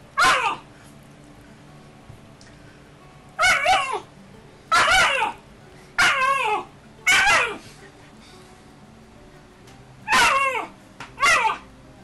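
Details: Play-fighting Alaskan Malamute puppy, roughly 10 weeks old, recorded in Calgary, Canada, May 2012, repeats high, raspy, downward-sliding bark-growls about once a second in irregular runs, inside a small room.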